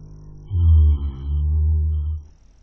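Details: Webcam recording of a horse asleep and snoring: a low, buzzing drone of almost two seconds, briefly dipping in the middle before swelling again and trailing off.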